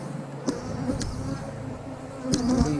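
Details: Feisty honey bees in a recently made split, being worked with smoke: an even, low buzzing hum of the crowd, punctuated by a few sharp clicks and a rising, louder wavering drone in the last second.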